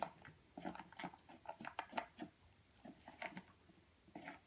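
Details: Purebred European Doberman Pinscher puppy, 8.5 weeks old, eating indoors: quiet irregular crunchy clicks and wet smacks in quick bursts, several per second, from a small room.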